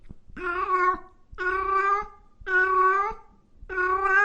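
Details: Cats meowing loudly: four steady, evenly spaced meows about a second apart, each a flat, sustained cry with a rich tone and little change in pitch.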